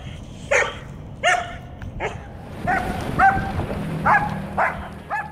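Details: Aggressive, reactive female German Shepherd named Bailey, before training, known to lunge and pull toward other dogs, animals and vehicles. About eight loud, ringing barks are repeated roughly every half second to second over a rumbling, noisy outdoor background.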